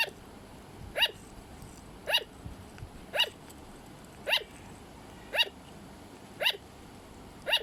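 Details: A pet sugar glider barks in an even series of crisp, high yapping notes spaced about a second apart, each dropping slightly in pitch at the end.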